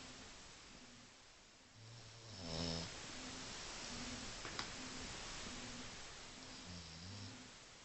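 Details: Snoring French Bulldog, captured with an Android phone: deep, rattling snores in irregular bursts, one louder with a wheezy rasp, others softer and fluttering, set against constant room hiss.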